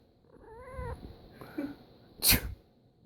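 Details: A domestic cat that hates sneezes lets out a rising, wavering harmonic meow, followed by a faint low murmur and then a loud, explosive human sneeze indoors.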